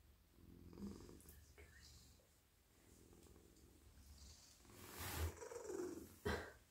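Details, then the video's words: Domestic cat, male, purring as he is stroked in a lap; a low pulsing rumble fills the first seconds, then rustling and handling noises break in toward the end. "Cosy cat purring"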